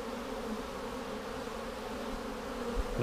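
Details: Honey bees in a split hive being inspected for queen cells on March 10, 2019: an unbroken low, even hum of the colony, with a faint word at the very end.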